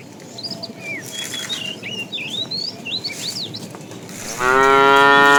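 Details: Fat cow calling the female as tame cattle are herded in the afternoon; a loud rich moo begins late and holds to the end, after a stretch of busy whistling and chirping birds.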